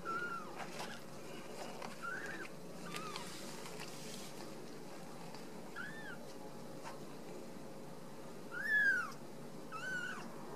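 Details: Ragdoll kittens raised at home in central Kansas. They give short, high, arched mews at intervals, with a louder, longer cry near the end, against quiet room noise.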